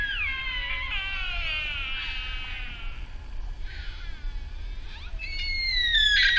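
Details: Sika deer at RSPB Arne, Dorset, on 15 October 2013: a drawn-out, harmonic-rich squealing call sliding downward, then shorter fainter squeals, ending in a loud shrill whistle-like cry, over a soft low rumble.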